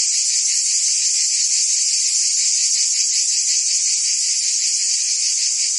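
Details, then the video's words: Many cicadas singing in the French summer of Provence: a steady sizzling buzz, high and bright, with a faint regular throb near three pulses per second and nothing else audible. "Cicadas singing in France (Provence)"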